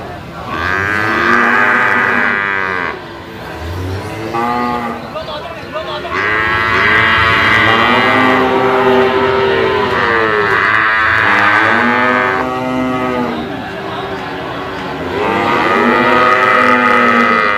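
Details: Brahman bulls mooing, several overlapping lowing calls with rich harmonic stacks, some rising then falling, continuing almost without pause across the recording.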